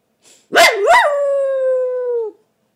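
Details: Male Coton de Tulear barking while reacting to a recording of himself: two sharp barks rising into a sustained, steady howl-like tone lasting over a second before cutting off.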